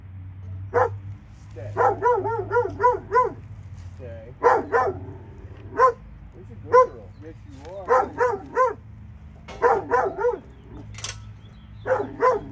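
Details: Two dogs in Alabama bark in short, sharp bursts, often doubled or in runs of four to five quick barks, with pauses between volleys and a steady low hum underneath.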